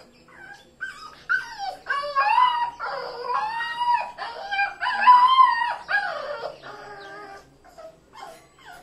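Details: A Rottweiler puppy, newly brought home, whines in high, wavering, drawn-out cries that rise and fall.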